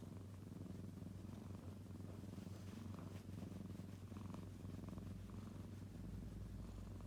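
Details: Low, constant purr of a kitten, a smooth rumbling vibration sustained for the whole stretch, with faint handling rustles.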